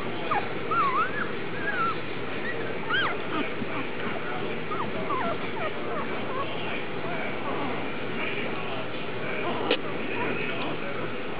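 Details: A litter of Vizsla puppies, recorded on August 1, gives thin, high whines and yips that rise and fall in short wavering slides, scattered over a steady low background rumble.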